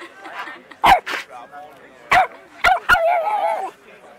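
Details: Dogs at play, an Alaskan Malamute meeting a four-month-old Boston Terrier puppy; sharp short barks at about one, two and three seconds, followed by a wavering whine-like vocal.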